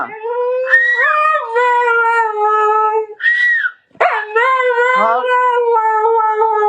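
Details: Howling husky holding a sustained, slightly wavering tone, rising briefly into a higher cry before settling back, a short gap, then another long, even howl with small pitch dips.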